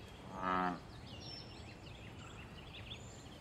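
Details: Single short, deep, twanging croak of a wild American bullfrog in pond water, calling for mating and territory, followed by quiet background with light high bird chirps.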